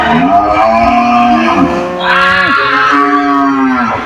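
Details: Several cows in a cage answer each other with overlapping, loud, drawn-out moos, some pitches holding steady and then sliding down, with one voice layered over another throughout.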